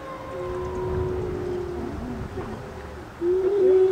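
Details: Gray wolves (Canis lupus) at the Colorado Wolf and Wildlife Center howl in long, steady, low tones that bend slightly and overlap one another.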